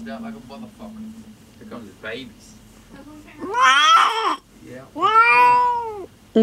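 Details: Female cat in labour with her first litter, indoors in a room she kept returning to. Two drawn-out, wavering yowls fill the second half. Quiet human talk comes before them.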